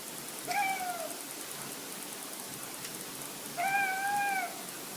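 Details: Domestic cat chirping and tweeting, described as hunting instinct sounds. Two short, melodic, slightly wavering tweets with bright overtones, about three seconds apart, over faint steady hiss.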